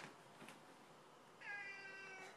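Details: Indoor cat wanting out on a windy day: a few soft bumps and rustles, then one sustained, even-pitched meow of nearly a second that fades gradually.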